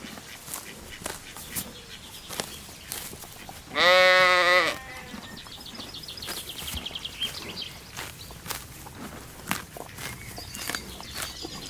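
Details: One drawn-out, trembling bleat lasting under a second from sheep at leisure on a spring meadow, set against steady clicking and rustling grass noise.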